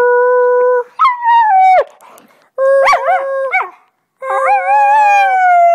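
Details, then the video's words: Pet Husky Delta howling indoors, singing with her owner: long, clear sustained howls, the first steady then dropping, a wobbling mid-clip note, and a final rising-then-falling howl after a short pause. "Delta Howling Singing"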